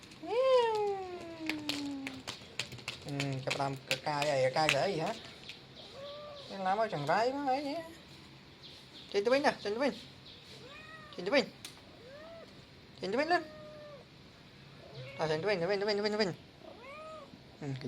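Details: Young male cat meowing repeatedly over a long stretch. Some calls slide downward and others arch up and back down. Frequent human speech and sharp clicks are mixed in between the meows.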